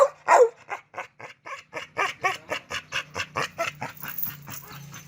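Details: Oscar, a red-nose pit bull, meeting chocolate red-nose pit bull Müdür again for mating. One loud yelp opens a steady string of short pulsed bursts, roughly five per second, that slowly fade toward the end.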